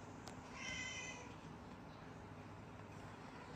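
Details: Baby kitten with a sore eye, given eye drops every day, gives a single thin, high-pitched meow lasting about half a second, with a steady hissing room background and brief soft clicks.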